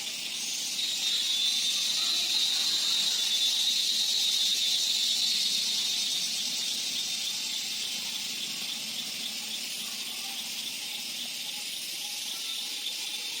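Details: In the evening at Jim Corbett National Park, crickets give a dense, high-pitched, shrill trill that never lets up, a sound said to call mating partners.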